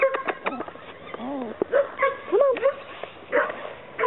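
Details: Chesapeake Bay Retriever pups giving short, scattered whines and yips, thin rising and falling cries that come in quick bursts, mixed with a person talking and coaxing nearby.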